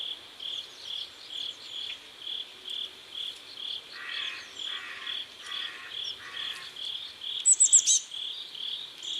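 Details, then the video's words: Crickets chirping at sunset by a river in South Korea, a high steady pulse twice a second, with lower buzzy bursts partway through and a sharp bird call near the end. "Sunset River and Sound of Crickets"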